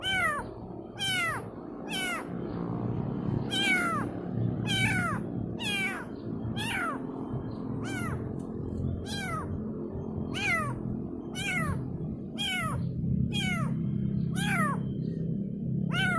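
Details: Kitten calling its mother with a steady series of high, downward-sliding meows, roughly one a second, over a constant low rumbling hum.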